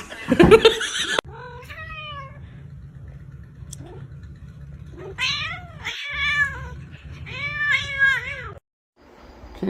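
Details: Several drawn-out, arching meows from a domestic cat: a rising-then-falling cry, then two or three more in quick succession. A sharp clatter comes at the start, with a steady low hum throughout.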